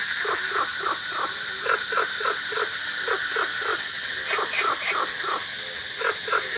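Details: Golden frogs and cola frogs call with crickets in a village during the rainy season, a din said to make the ears tingle; short croaking pulses repeat several times a second over steady high cricket trilling.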